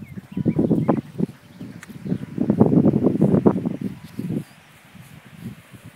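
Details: Five-week-old Leonberger puppies give dense bursts of low, rough grumbling sounds over about four seconds, then quieter scattered noises with rustling.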